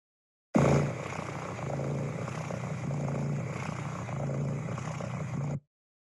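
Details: Cat (Felis catus), purr: pain or distress.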